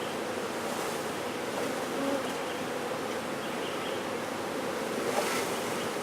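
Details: Honey bee swarm being safely removed and relocated in Brownsville, Texas, with the queen located; a dense, steady buzzing hum fills the clip with a few brief louder swells.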